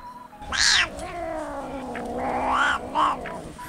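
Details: Black-and-white Dalmatian-patterned domestic cat kept in a cage at a rescue cat café in Namba, Osaka, calling like a dog's wan-wan when excited: long drawn wavering yowls with sharp higher bursts, a woman speaking nearby.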